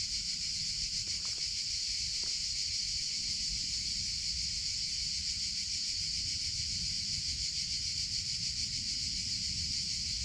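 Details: Male cicadas in summer make an unbroken shrill buzz, evenly pulsed and high-pitched, with a few faint clicks near the start and low outdoor rumble underneath.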